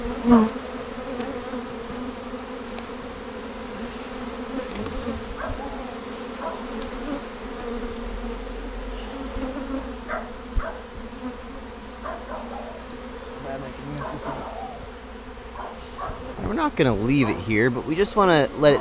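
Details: A swarm of bees, confused after being moved from a birdhouse to a bee box, hums steadily. Near the end the buzzing swells louder and wavers as bees fly close past.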